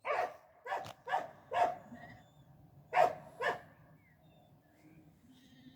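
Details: Croatian Sheepdog working dog herding, giving sharp barks in irregular bursts of two or three over about four seconds, then quieter background with faint calls.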